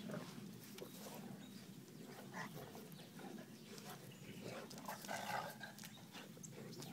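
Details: Two dogs, a Bloodhound and a Coonhound, play together, giving low, rumbling growls and grunts in a steady run of rough, overlapping play sounds.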